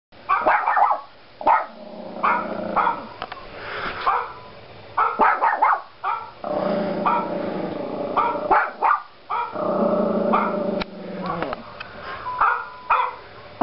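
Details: A Yorkshire Terrier puppy barks at another dog on a computer screen, giving bursts of high, sharp barks and yips mixed with low growls.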